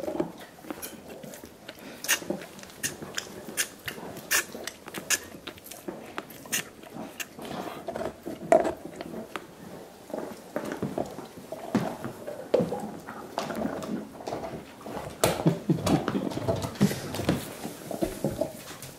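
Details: Indoors, five dogs work on soup bones for dental hygiene, producing a steady stream of sharp crunches, moist slurps and gnawing clicks at irregular intervals, with a few louder bursts in the quiet small room.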